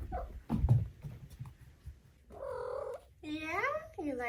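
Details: Four-month-old female Maine Coon kitten trilling indoors after a woman's soft speech; two rolled trills follow, the second longer with a rising-then-falling sweep, over faint room hum.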